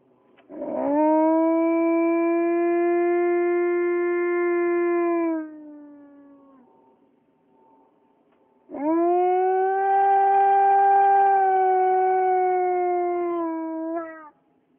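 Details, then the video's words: Alaskan Malamute at the start of a walk, howling at an airplane flying over: two long, steady, tonal howls of about five seconds each, the second slightly higher and ending abruptly, with a short gap between. "howling at an airplane"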